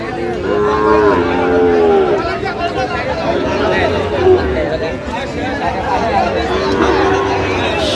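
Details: Sahiwal bull calves offered for sale at a Bangladeshi cattle market, 31 October 2025. Two long, level moos open the clip and a fainter one follows near the end, all set against constant crowd murmur and bargaining voices.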